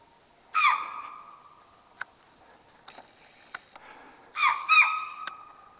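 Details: Wild chital in grasslands near Kaladhungi, Uttarakhand, India, at dusk, giving alarm calls at unknown danger where tiger and leopard live; two shrill, sharp, harmonic cries, one early and one near the end, with faint clicks between.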